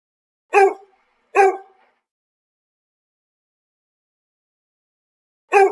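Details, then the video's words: A village puppy gives short, sharp yapping barks: two close together, then silence for about four seconds, then a third bark. The recording is clean, with no other sounds. "Pet Village Cute Puppy | Dog sounds"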